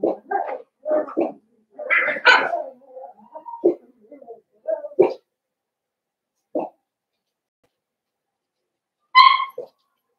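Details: Five blenheim Cavalier King Charles Spaniel puppies in their indoor pen. A busy string of small, scratchy barks and yaps comes first, then a lone yelp and, after a pause, one high, ringing whine.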